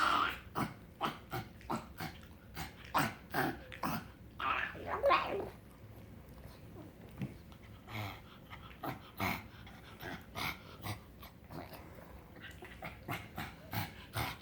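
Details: Pug dog making strange snorting, grunting noises when happy, short nasal bursts repeated roughly every half second with a longer whining stretch in the middle, indoors.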